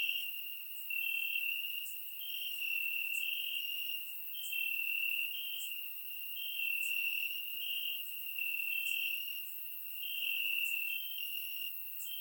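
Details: In Bulgaria on a warm summer night, crickets chirp in the grass, recorded in surround sound: a continuous shrill high trill rising and falling in loudness in waves of about one to two seconds.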